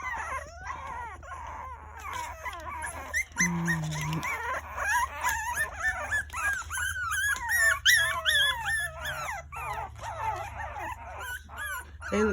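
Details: Litter of Shichonpoo puppies, two white, two tan and one tan and white, crying for mom and scrambling to escape their whelping box: dense chorus of shrill overlapping whimpers, yips and wavering whines, with a brief low voice partway through.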